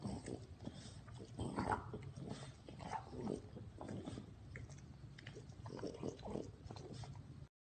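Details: French Bulldog making low, continuous snorting grunts and snuffles, rough and pig-like, steady throughout with no clear pauses.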